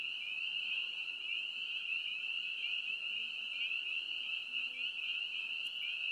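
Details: Dense chorus of spring peepers (Pseudacris crucifer): high, piercing peeps overlapping into a continuous ringing shimmer.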